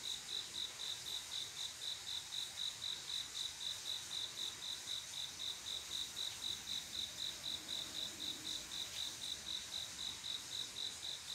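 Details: A male cricket calls to a female in the dead of a quiet summer night, chirping high and rhythmically about four times a second without pause, over a constant thin hiss of other insects.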